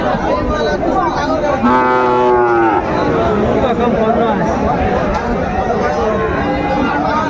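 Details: Sahiwal bull calves on sale at a busy Chattogram cattle market, Bangladesh, 17 March 2025: a loud, drawn-out moo of about one second, rich and droning, rises over steady crowd talk and haggling.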